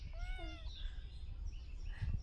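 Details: A single short meow, rising then falling, from a kitten up a tree, followed by rustling and low background noise.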